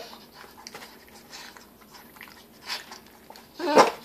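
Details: A 7-week-old male Bull Terrier puppy, on his second day home, makes soft snuffling and crunching chewing noises while eating in a quiet room, ending in a sudden louder squeaky grunt.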